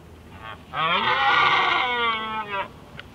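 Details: A red deer stag during the evening rut in Skåne, southeast Sweden, gives a single drawn-out, harmonic roar lasting about two seconds.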